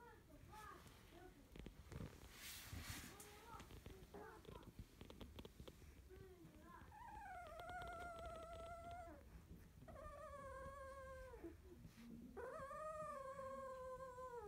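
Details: Field-line Labrador Retriever puppy, 16 days old, its eyes newly opened, resting after nursing; muffled rustling and faint voices at first, then drawn-out harmonic whines, each wavering and sliding down, with short pauses between them.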